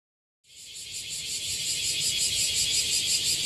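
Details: Bear cicadas gathered on a tree in Okinawa; after a brief silence a loud, dense, hissing chorus starts and swells, pulsing about three times a second and steadily building in intensity.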